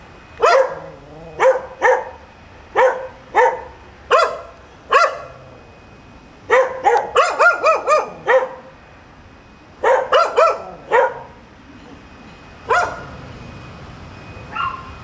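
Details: Nuisance barking from dogs near the top of Chapman Rd, kept up until the owner returns; single sharp barks about once a second, then a rapid run of overlapping barks, then scattered barks trailing off.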